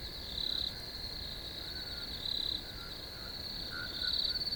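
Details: Crickets in a field give a steady, high, shrill trill, swelling into louder chirping bursts about every two seconds, with faint lower notes beneath.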